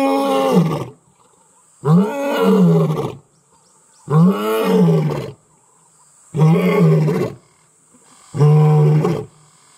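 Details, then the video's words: In Kruger National Park, South Africa, the Imbali male lion announces himself while with the Mantimahle lioness: five deep, grunting roars, each roughly a second long, repeated about every two seconds in a steady, pumping series. "Male lion Announces Presence in Company of Lioness"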